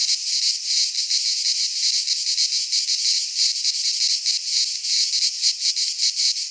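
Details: Midsummer cicada chorus from a Greek pine forest, a shrill continuous rasping drone whose loudness wavers in uneven surges, with no birds, wind or voices heard.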